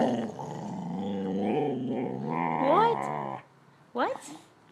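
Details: Pet dog Tabasco Jones "talking" to its owner over a ball: a long, wavering, harmonic growl-moan that rises and falls for about three seconds, then a short rising sweep, with a woman's voice asking about the ball.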